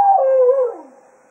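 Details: Jack Russell Terrier at Quail Roost at the end of a day of foxhunting, bidding the hounds farewell: a single short tonal howl that slides down and fades within about a second, with no other sounds.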